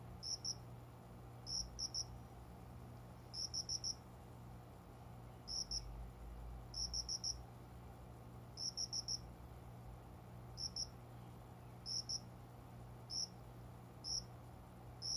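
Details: Summer dawn indoors, with a cricket among window-side plants singing until morning; high clear chirps in groups of one to four, repeated every second or two over a low steady room hum.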